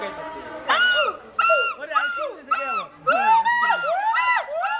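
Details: Ulluk, the hoolock gibbon, calling in Mirpur's Dhaka National Zoo, Bangladesh: loud arched hoots that swoop up and down, coming in quick bursts and speeding toward the end.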